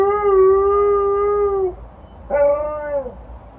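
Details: Alaskan Malamute named Liza howling outdoors at a passing ambulance after an evening walk; one steady, level howl held over a second and a half, a pause, then a shorter rising-then-falling howl.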